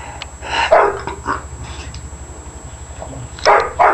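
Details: Female bulldog going crazy indoors, letting it all out: a few short gruff barks near the start, then a quieter stretch with a low steady hum underneath, and two more sharp barks at the end.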